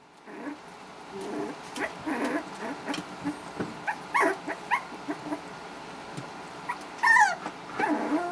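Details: Havanese litter at four weeks, four males and one female, starting to play together; a run of short whimpers and high yips follows in quick succession, with a wavering squeal near the end and faint scuffling.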